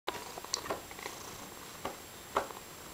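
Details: Pet cat named Mysli indoors, purring and chattering at once: a steady soft background hum broken by short sharp clicky chirps, with a few louder bursts spaced irregularly.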